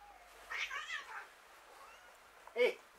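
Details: Hungry street cats, probably fighting for food. One long wavering meow of about three-quarters of a second, then a shorter, sharper, louder cry near the end, with faint speech under it.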